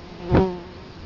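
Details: Italian honey bee at a hive entrance in Colorado Springs, October 2011, flying right past a close camera: one loud, brief droning buzz with stacked harmonics swells and fades within half a second over faint background hiss.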